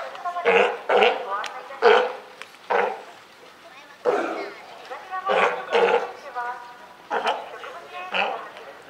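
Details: California sea lion mother and newborn pup at Higashiyama Zoo, Japan, on Wednesday, 28 June 2023: short, hoarse, barking calls in separate bursts, some doubled, with gaps of one to two seconds between them.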